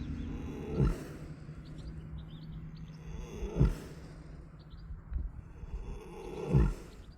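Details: Resting horse lying in a pasture, basking in the sun and snoring: deep, low rumbling breath bursts recur roughly every three seconds over a steady low hum, with faint high chirps in the background.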